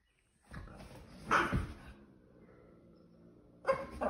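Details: Boston Terrier playing with its family, a short sharp bark-like burst followed by quiet, then another sharp sound near the end.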